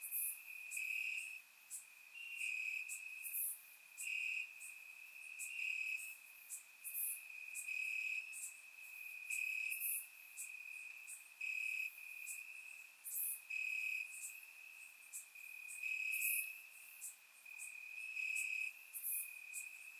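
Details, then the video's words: Night chorus of crickets in summer grass, Bulgaria: a continuous thin high trill holds steady while overlapping bursts of sharper, higher chirping pulse in and out roughly every second or two. "Cricket Sounds - Crickets Chirping at Night"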